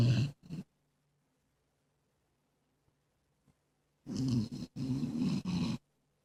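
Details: A sleeping female Jack Russell Terrier mix, a heavy snorer since she was a few months old; loud, rasping, low snorts in two bursts, the second long and broken into a few rough pulses, with silence between.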